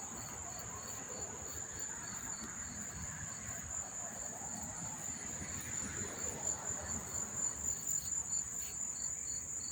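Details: Crickets recorded near Monmouth Park Racetrack in New Jersey on September 4, 2023, chirping in a quick regular pulse, roughly two chirps per second, layered over a constant piercing insect drone, with faint low background rumble.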